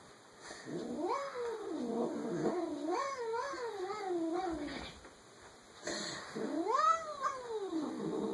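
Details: House cat producing odd funny noises: a long warbling, yodel-like moan that rises and falls repeatedly for several seconds, a pause, then another rising wail.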